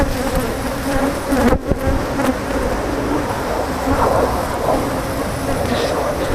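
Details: Swarm of angry Africanized honey bees disturbed by honey removal, a steady droning buzz with one sharp knock near the start and a slight rise in intensity later.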